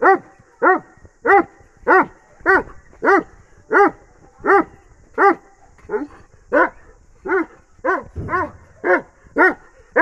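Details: Bully x Dogo Argentino crossbreed giving a run of about sixteen sharp, tonal barks, slightly uneven in timing, with a brief low rumble near the end between barks.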